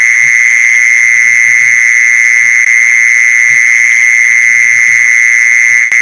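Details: Mole cricket lure sound: a constant, piercing, unvarying trill running without a break, plus a fainter higher tone, with soft low knocks and a brief click near the end.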